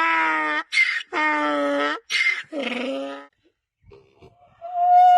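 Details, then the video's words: Donkey hee-haw: steady harmonic honks alternate with higher, breathy rasps, three cycles in about three seconds, then a quiet gap and a clear rising tone at the end. "30+ DONKEY SOUNDS! What sound does a donkey make"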